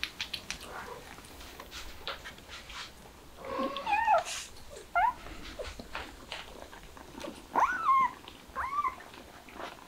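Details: Street cat family, a mother cat with kittens: four brief high meows in two pairs across the middle and end, rising or bending in pitch, over steady clicks and shuffling noises.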